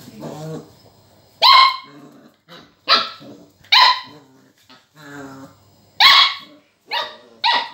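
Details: Border collie puppy barking at a lemon: shrill, ringing yaps repeated roughly every second, interspersed with quieter whining grumbles, after a person's firm "no".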